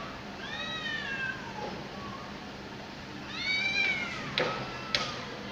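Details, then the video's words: Pair of cats contesting an area at sunset, one giving long bending meows that rise then drop, two calls about three seconds apart, followed by sharp knocks over constant background noise. "CAT VS CAT FIGHT"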